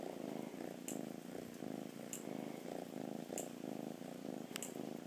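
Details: Steady low purr from a happy rescued cat, rhythmic rumbling swells repeating with its breathing, accompanied by regular bright ticking sounds spaced just over a second apart.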